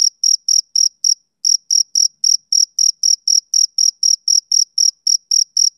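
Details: Rhythmic chirps of a male cricket, summer evening; bright high-pitched pulses repeated several times a second, one brief pause near the start, then an even, unbroken train over a silent background.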